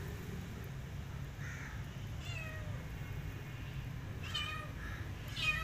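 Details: Pregnant, hungry cat asking for food, her abandoned kitten still trailing her; several thin, wavering meows sound at intervals, some harmonically rich, above a constant low background hum.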